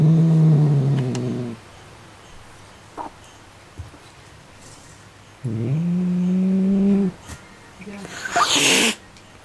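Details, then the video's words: White pet cat named Milk, angry and turned fierce after getting excited over a small mouse toy she does not want taken away; two long, low moaning growls, the second rising slightly, then a short, sharp breathy hiss near the end. "【威嚇された！】おもちゃを奪われたくなくて怒る白猫 Angry White Cat"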